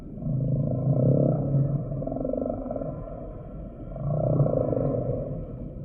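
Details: Humpback whale song: two long, low, harmonic moans about three seconds apart, each swelling and fading, with a droning tonal layer underneath.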